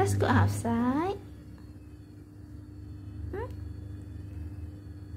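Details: Domestic cat meowing indoors: a drawn-out harmonic meow sweeping upward during the first second, then quiet, then one short rising mew near the three-and-a-half-second mark, over a steady low room hum.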